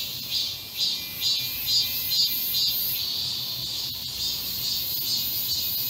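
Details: Cicadas chorusing in a garden during the midsummer heatwave of 31 July 2022, their high rasping drone beating in regular swells about twice per second, with a couple of sharp ticks near the fourth second.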